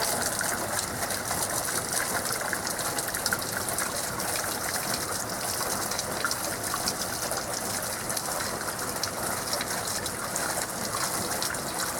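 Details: Steady rushing, gushing water fills the whole stretch as a dense, even hiss, with no animal voice standing out.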